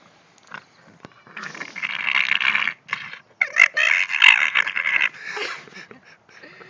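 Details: English Bulldog making gremlin-like noises: raspy, gurgling growls and grunts in choppy bursts over several seconds, with short gaps between them. Faint human voices sound in the background.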